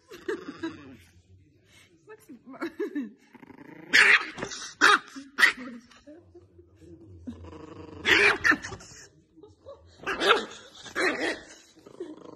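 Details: Angry dog barking in short, harsh bursts around four, five and eight to eleven seconds in, with low growling between them and a voice audible in places.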